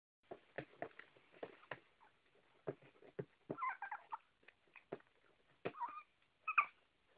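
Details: Female Chihuahua beside her owner's bed around 11pm, asking to be let back in after a last potty trip. Soft, brief whines rise among a run of sharp tapping or scratching clicks, in a quiet room.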